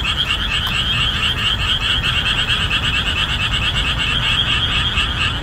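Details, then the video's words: Loud rhythmic chorus of boreal digging frogs in marshland as the summer rainy season finishes; rapid repeated croaks stack into a continuous pulsing texture, a short click early on, low steady noise below. "목 터지게 우는 맹꽁이 울음소리"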